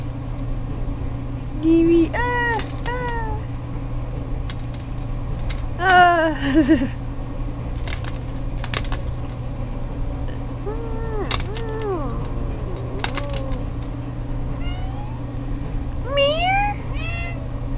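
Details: A pet cat playing with a fishing pole gives repeated harmonic meows, some rising then falling, in bursts several seconds apart over a steady low hum, with a person's voice now and then.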